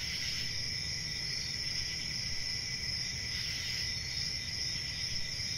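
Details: Continuous shrill cricket chirping, an even high trill layered in two pitches that never pauses, over faint low-pitched background hum.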